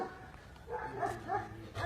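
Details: Aksaray Malaklısı dog on a farm in Aksaray, Turkey, letting out a soft wavering whine with gently rising and falling tones over a low background rumble.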